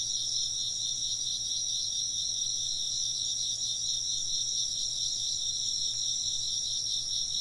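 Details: Steady high trilling from many chirping insects, their rapid pulsing notes blending into an even, unbroken chorus over a quiet background hum.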